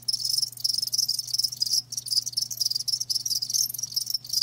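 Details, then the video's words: Live crickets give clear, shrill chirps in fast rhythmic pulses, one voice standing out above the chorus, with a brief dip near the middle and a low background hum. "Live Crickets 60min "Natural Sound""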